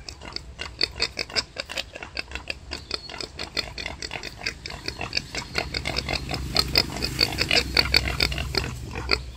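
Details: Wild boar giving birth to five young: rapid, uneven grunts at roughly two per second, rough and clipped, growing busier and louder in the second half with added squeaky notes.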